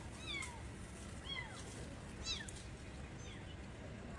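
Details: Cats during a scene of a mother cat saving her kittens; thin, high mews that slide downward, about five in four seconds, some overlapping, over a steady low outdoor rumble.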